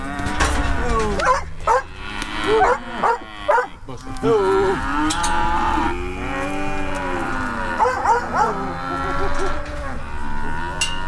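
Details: Herd of Brahma, Hereford and Brangus cattle rounded up to sort calves: repeated deep bellowing moos from several animals, some rising then falling, overlapping across the whole stretch amid knocks and rattles.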